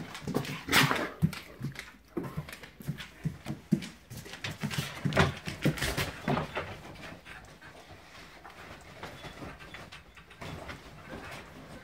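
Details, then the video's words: Great Danes playing rough on a bed at home, one a black Dane newly settling in; rapid scuffling, snorts, huffs and short growly barks in a quick uneven run, fading to quieter rustling after six seconds. "Great danes rumpusing on the bed"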